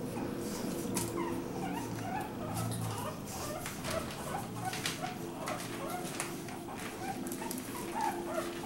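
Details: Litter of three Pekingese puppies and two French Bulldog puppies raised together by Pekingese mother Skyler after the bulldog mother rejected hers; short, squeaky whimpers come scattered through the clip over a steady low hum and rustling.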